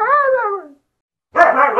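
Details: Siberian Husky dog, described as crazy and hyperactive, gives a drawn-out harmonic whine that slides downward for under a second. After a short silence, a second, rougher and louder whining call begins.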